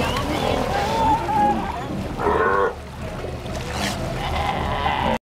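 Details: A sea lion in Ushuaia, Argentina, gives a hoarse, wavering bleat, strikingly goat-like, over a murmur of background noise.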